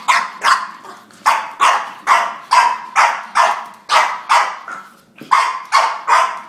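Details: An angry French Bulldog fighting with a drink shaker gives rapid, harsh bark-growls, about two or three each second, in a steady run with no pauses.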